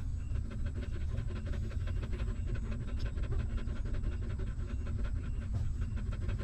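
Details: Hungry puppy suckling milk from its stray mother, which tends her newborn litter; rapid rhythmic sucking clicks, roughly five a second, pulse steadily above dense low-frequency rumble.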